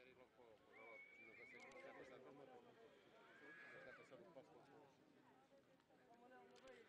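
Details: Horse among three-year-old foals at the Golegã horse fair in 2011, whinnying in high, thin wavering cries over a steady murmur of crowd voices and hoof clatter.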